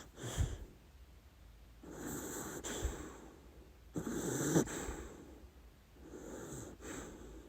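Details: Dachshund Lady Ruby asleep and dreaming, giving uneven, wheezy snorts and breathy snores in four bursts spread over several seconds, with quiet pauses between them.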